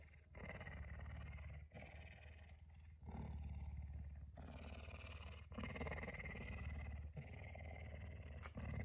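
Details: Puma living in a house, up very early and rousing its owner at dawn; a steady, deep throbbing rumble runs almost continuously, broken by brief gaps, over a hissy indoor background.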